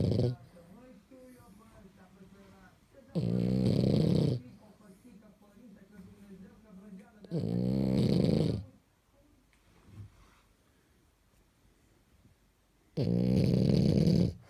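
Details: Pajama-clad French Bulldog asleep and snoring indoors: three loud, low, buzzy snores about four to five seconds apart, with soft breathing rasps between them.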